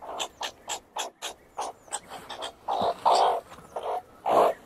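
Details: Meerkat giving what is described as a moaning sound: a rapid series of short, nasal, pulsed calls, about two or three per second. They start soft and choppy, then turn into louder, longer, harsher moans toward the end.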